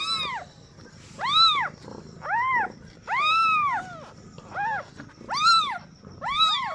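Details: Newborn domestic kittens, just born to a first-time mother cat, meowing for the first time: short arched mews, rising then falling, some overlapping from more than one kitten, about one every second with gaps between.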